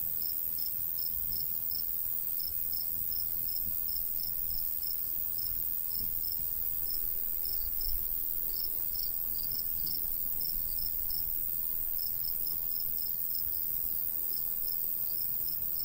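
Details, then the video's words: High chirps of crickets in a summer countryside wheat field, repeated in quick runs and short clusters with brief gaps, layered over a constant thin whine; a light breeze murmurs low, with one soft thump near the middle. "Countryside/cricket sounds"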